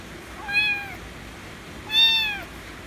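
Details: Loud meows from a white kitten demanding affection, two clear harmonic cries, a short one then a longer, stronger one rising and falling, with quiet background between.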